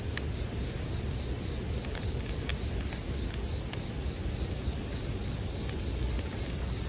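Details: Steady shrill ringing from a bell cricket fills the whole stretch, while scattered snaps from a burning campfire punctuate it over a low, rumbling hiss.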